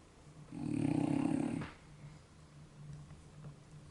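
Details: Sleeping French Bulldog indoors snoring deeply: one long, rough, rattling inhaled snore lasting about a second, followed by soft, quiet breathing.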